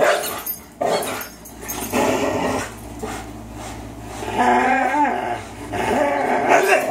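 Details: Two 3-year-old dogs, Fox the Greyhound and Miles the German Shorthaired Pointer, playing tug of war indoors: rough, noisy growls in bursts, with a brief wavering whine near the middle.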